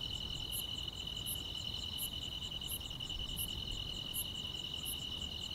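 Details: Grass insects chirping on a quiet summer night in the countryside: a steady high trill with a pulsing buzz above, plus a sharp chirp repeating roughly every 0.7 seconds, over a soft low rumble.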